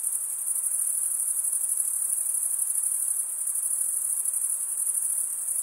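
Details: Male crickets stridulate, scraping wing against wing, producing a steady, very high, finely pulsed trill that never pauses, a continuous insect chorus with nothing else audible.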